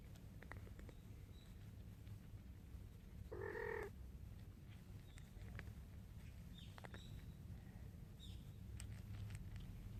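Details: Mother cat Jungseong, having eaten alone, calls her hungry kitten Orae to come and eat, outdoors: one short harmonic meow partway through, over a low steady background hum with faint high bird chirps.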